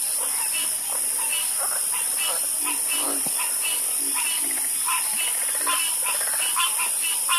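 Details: Frogs in a night chorus, bright clipped croaks popping up irregularly, several voices overlapping, set against a loud steady high hiss.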